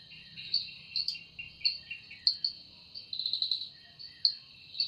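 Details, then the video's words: High, shrill insect buzzing from a cicada in an evening forest, sound credited to its wings; a steady ringing tone underlies throbbing accents roughly every half second, with a rapid stuttering run near the end. "Woundering voice of Cicada"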